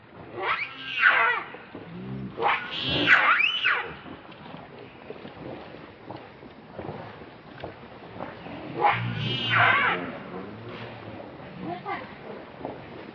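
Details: Rainbow, a monkey, very angry while protecting Lucie from Kachoy: two loud arching, harmonic screams rise and fall near the start, then a quieter stretch and another pair of shrill screams toward the end, over low background rumble.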